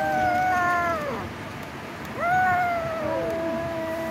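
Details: Fighting domestic cats: two long harmonic yowls, the first holding steady then dropping away, the second swooping up sharply and drawn out before sagging down, with a lower overlapping growling tone.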